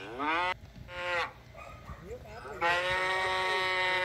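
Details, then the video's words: Cow mooing: a long, steady, nasal moo, a quieter gap with faint mixed noises, then another sustained flat-toned moo that runs to the end. "Tiếng con bò kêu phần 1 - sound of cow"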